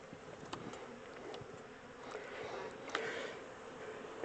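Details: Honey bees of a caught swarm, kept in a temporary box before transfer to a larger hive, give a dense continuous hum that swells slightly midway, with sharp clicks and handling knocks over it.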